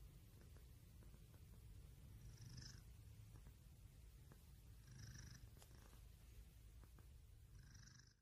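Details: Close, even purring of a domestic cat, a deep vibrating rumble with soft whistled inhalations about every two and a half seconds, fading out at the end.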